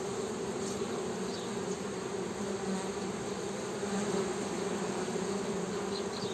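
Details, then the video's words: Honey bee humming: a steady, droning buzz with a low fundamental and a stronger overtone just above it, continuous and even throughout, with faint broadband background hiss. "HONEY BEE'S HUMMING SOUND"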